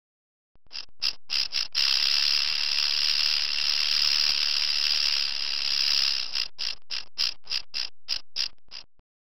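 A rattlesnake's dry, hissing rattle, a few quick bursts and then a steady buzz that breaks apart again.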